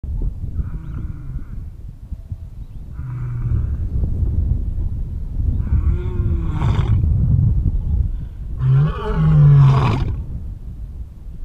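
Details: A male lion, mouth covered in blood, gives deep, rumbling roars that swell into loud, throaty bursts.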